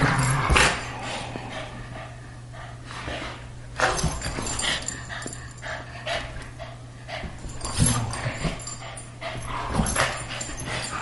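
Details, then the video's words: Two pet dogs, a greyhound and a Boston terrier, playing together as they do almost daily; sharp short bursts like yips and snorts come every couple of seconds between quieter scuffling over a low electrical hum. "Greyhound playing with Boston Terrier"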